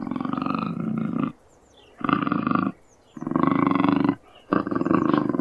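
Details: Cougar giving four harsh, throaty growls, each lasting about a second, separated by short quiet pauses, with a deep, rasping tone throughout.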